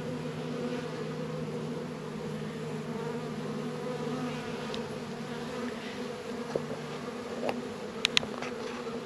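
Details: Honey bees at Warre and Langstroth hives in a northern Kentucky apiary, active on a warm 72-degree winter day in February. A continuous deep droning hum with steady low tones runs throughout, with a few faint clicks near the end.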